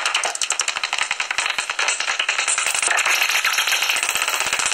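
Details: Pre-sunrise recording from a tree hollow used as a common noctule roost near Ibbenbüren, Germany, 17 August 2019: distinct rapid clicks, roughly two to three a second, under a bright, continuous high squeaking.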